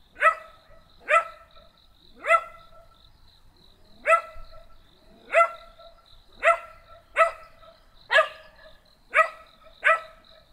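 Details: Small black dog barking steadily, ten single sharp barks spaced about one second apart with a brief pause midway, no other sounds.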